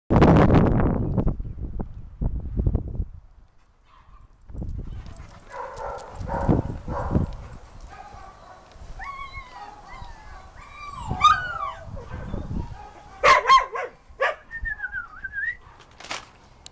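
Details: A 2-year-old male Rottweiler in a shelter awaiting adoption, given up when his owner moved, gives short, high, sliding whines amid shuffling and handling noises.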